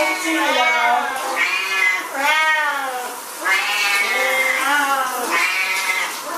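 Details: At shower time, Siamese cats let out insistent, nasal meows, each swelling and sliding in pitch, about five wails in a row that nearly run together.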